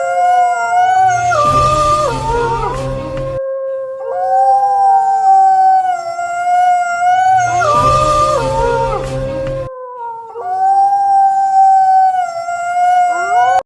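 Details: A pack of wolves howls together at night, long smooth overlapping tones that rise and fall, broken by rough yipping bursts, short barks and growls.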